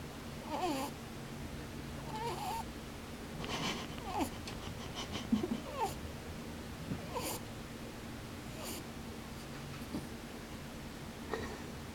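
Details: Sleeping rabbit with its eyes open, snoring indoors. Short nasal puffs with sweeping tones, described as pū-pū and bū-bū, come in uneven bursts about every second or two over a steady low room hum.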